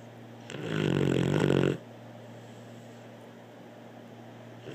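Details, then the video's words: Pet dog named Blue snoring in a small room, one drawn-out rasping snore lasting over a second with a rough, growly texture, then quiet with a faint steady background hum. "Blue snoring"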